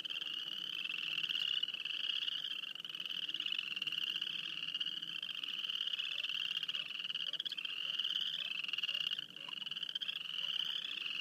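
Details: A chorus of frogs near Wayne, Alberta forms an unbroken shrill pulsing trill, overlapping callers rising in repeated sweeps, with a brief dip in loudness late on.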